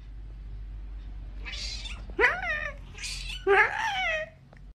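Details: Domestic cat from an angry cat compilation gives two rising and falling yowling meows, preceded by softer breathy noises, over a steady low background hum in a small room.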